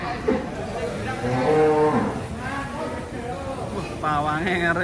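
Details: Agitated bull coming down off a truck while a handler keeps calm; a long, low bellowing moo holds steady, then later harmonic calls, mixed with people talking nearby.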